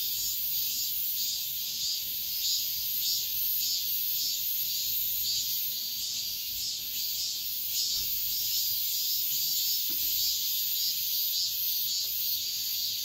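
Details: Cicadas singing at dawn in midsummer: a dense, unbroken high-pitched shrill hiss with faint rhythmic pulsing, steady in loudness throughout, and a low rural rumble underneath.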